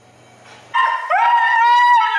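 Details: Siberian Husky yelling during his bath: after a soft hiss, a loud drawn-out vocal cry that slides upward and holds a steady, strongly harmonic howl-like tone.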